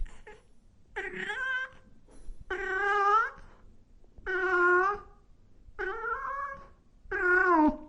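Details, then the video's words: Cats and kittens meowing loudly: six drawn-out, wavering meows, each lasting under a second and coming roughly every second and a half, with quiet gaps between them. "Sounds of Cat Meowing and Kitten Meowing |Baby Cats Meowing |Cats Meowing Loudly"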